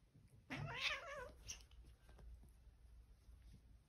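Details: Domestic cat during a playful fight indoors: one wavering, drawn-out yowl lasting under a second, followed by soft rustling and scuffling.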